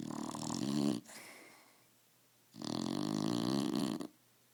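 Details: Roxy, a pet dog, snoring while asleep: two long rasping snores with a rough pulsing drone, the first cut off after about a second, separated by a short quieter breath and near silence.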